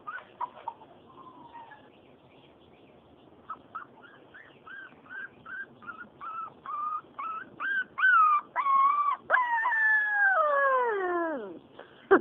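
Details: Four-week-old purebred Siberian Husky puppy whimpering: a series of short, whining yelps repeated about twice a second, growing louder and higher, ending in a long wavering howl that slides downward; a woman speaks softly nearby.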